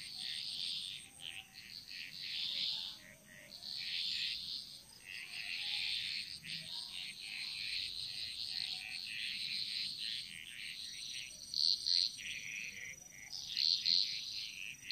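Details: Chorus of frogs in Bali jungle, echoing: rolling waves of raspy, trilling calls that swell and fade every few seconds, a few sharper clicks near the end, and a steady high whine behind.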